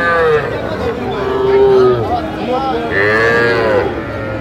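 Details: Young bull calves for sale at a busy cattle market in Comilla, Bangladesh; several overlapping low moos swell and fade against market chatter and voices.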